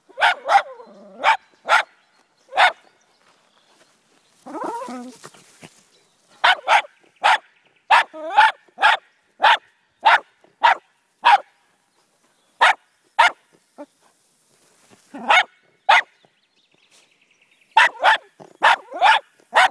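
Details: A Jack Russell Terrier confronting a snake barks sharply and insistently in rapid bursts while people urge it on in between.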